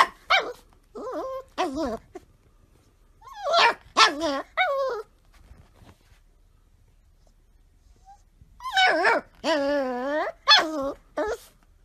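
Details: Golden Retriever puppy exploring, making a run of short yelps and wavering, whiny high barks in bursts, with a cluster of quavering cries near the end.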